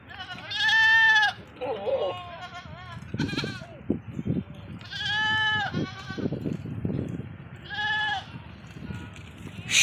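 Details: Female Sirohi goats on a farm in Ajmer, Rajasthan, give loud, wavering bleats, each lasting about a second, with short gaps between.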